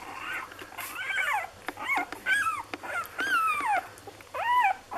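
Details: Lagotto Romagnolo puppies from an A litter in Hamburg, six days old, indoors: high arched squealing whines rising and falling, several overlapping in quick succession with short gaps, a softer whimper between bursts.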